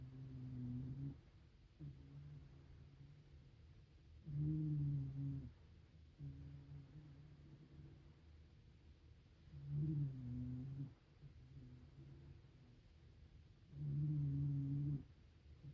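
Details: Hime-chan, a sleeping Shiba Inu aged one year, snores steadily: low, tonal, hum-like breaths, each loud snore lasting about a second and recurring every four to five seconds, separated by fainter snores.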